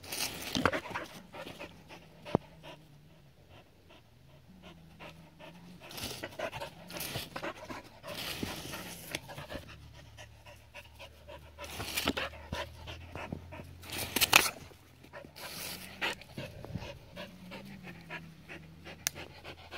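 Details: Adaike Polední kámen, a seven-year-old Border Collie, enjoying water: scattered breathy pants and splashes with quieter stretches, a faint low droning tone underneath, and a few loud bursts of noise.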